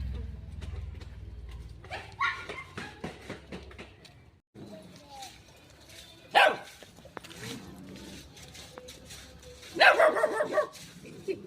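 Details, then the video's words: Little dog near a shy cat gives two short barks, one midway and one near the end, after a stretch of low rumbling background noise, with people talking softly in Marathi throughout. "little dog barking"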